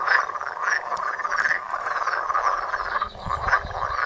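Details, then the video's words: Many frogs croaking together in a pond, phone recording: overlapping raspy pulsed croaks forming a thick chorus, with a brief low rumble near the end. "Étang et grenouilles - Pond and frogs"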